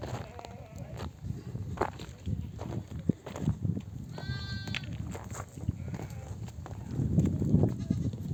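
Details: Returning from pasture, a mother sheep in a nomadic herd bleats to bring her lambs to nurse; one short, trembling bleat stands out midway above constant low rumble, footsteps and background voices.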